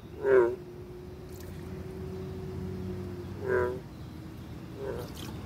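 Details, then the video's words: American bullfrogs vocalizing: deep, resonant harmonic croaks burst out three times, roughly every one to three seconds, with a steady low droning tone running beneath them. "Bullfrogs vocalizing"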